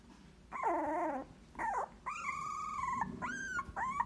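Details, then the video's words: Siberian Husky puppy opening its eyes for the first time, whimpering: five high, thin whining cries with wavering and rising-then-falling pitch, some short and some held for nearly a second, in a quiet setting. "Husky Siberiano abriendo ojos por primera vez"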